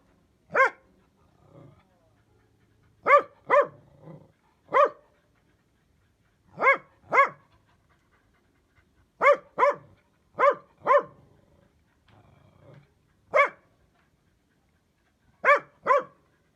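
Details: Dachshund dog giving sharp barks, mostly in pairs and singles separated by pauses of one to two seconds, with a few softer grunting sounds between; quiet background.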